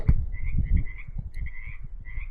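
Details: Frogs croak at a pond on rural land in Ono, California, short trilled calls repeating in the distance over a low rumble, with a dog also heard.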